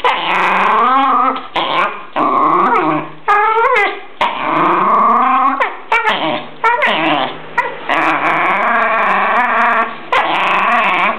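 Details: In Verona, a nervous, aggressive Jack Russell Terrier keeps up rough, whiny growls, harsh and wavering in pitch, with occasional sharp rising yelps between bursts.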